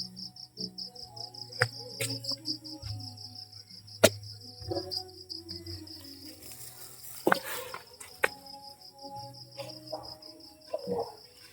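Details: Night crickets near the PB Team House keep up a continuous high pulsing trill, while nearby clatter, sharp knocks and low rumbling mechanical hum break in intermittently.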